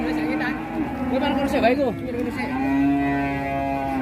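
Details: A big cattle animal is unloaded from a truck in Indonesia. People talk briefly over a sustained, level moo, which continues steadily through the second half.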